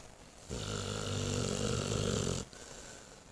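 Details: Sound asleep at home after her spay operation, an eight-month-old Saint Bernard gives a sustained, rumbling, buzzy snore lasting nearly two seconds, framed by quiet breathing.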